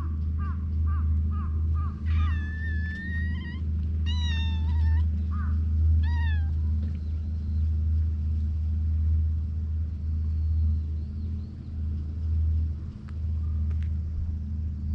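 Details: Stray cats at an evening gathering: a quick run of short arched cries, then drawn-out, wavering and falling meows with rich overtones over a few seconds, followed by quieter stretches, all above a constant deep rumble.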